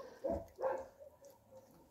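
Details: At a no-kill shelter in Russia housing more than 1800 dogs and cats, a puppy gives two short, sharp yelps in quick succession, followed by fainter, trailing whimpers.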